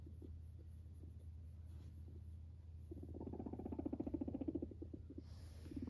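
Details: Guinea pig walking up to its owner indoors: steady low room hum at first, then a burst of quick, low, throbbing purr pulses for about two seconds before stopping.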